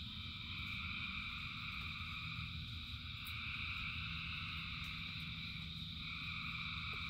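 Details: Frogs calling in rain form an unbroken, shimmering wall of high trills, while a low hiss and rumble of falling rain fill the bottom of the sound.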